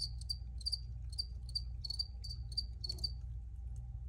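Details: Crickets give crisp, high chirps roughly every third of a second, with some pulses in quick pairs, backed by a faint low hum.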